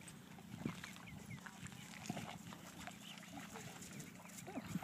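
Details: Kaido, a dog at a dog park, barks to get another dog to play and chase him. Short, sharp barks come about four times across a few seconds over steady outdoor background noise.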